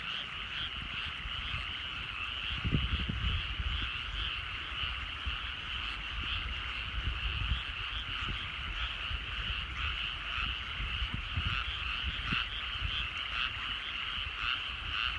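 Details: Countryside rice paddies at sunset, where frogs produce an unbroken chorus of rapid croaking trills blending into one steady buzz, over low rumbling background noise with a few soft knocks.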